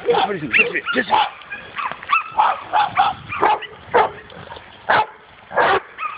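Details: A dog meeting a wild boar for the first time gives loud, clipped barks about every half second. Human voices are heard at the start.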